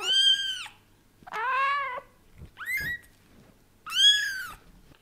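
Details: Cats indoors during daddy cat Leo's gradual introduction to kittens: a rapid run of varied meows, one bright and arched, one lower and wavering, a short rising chirp, then another loud arched meow.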